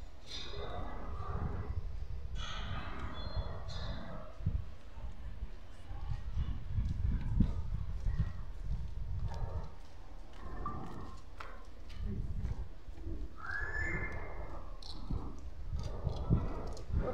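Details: Stray cat on the street giving several drawn-out, wavering meows, one near the end rising in pitch, over a constant low rumble of traffic and street noise with occasional voices nearby.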